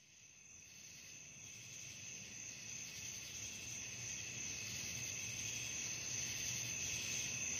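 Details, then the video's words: Night crickets calling, offered as relaxation sound for sleep; a dense, steady high-pitched trilling chorus fading in and then holding constant, with several layered bands of shrill buzzing and no other clear sounds. "suara jangkrik malam penghantar tidur"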